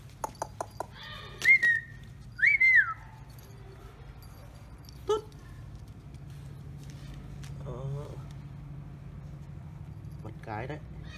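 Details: Litter of five 45-day-old Rottweiler puppies, three males and two females, born 4 December 2018 in Hà Nam at a kennel. Several short high whines rise then fall, with faint clicks and quiet Vietnamese speech nearby.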